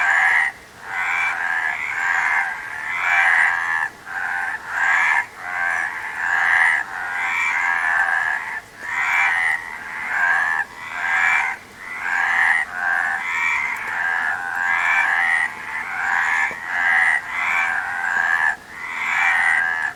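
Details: Frog calling in a steady series of raspy, pulsed croaks, each about half a second to a second long, following one another with short gaps and little other sound.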